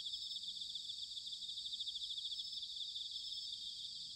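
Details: Dense high-pitched ringing of bell crickets in autumn, Sanuki, Chiba Prefecture, Japan, a steady pulsed trill throbbing several times per second without pause, over a soft low background murmur.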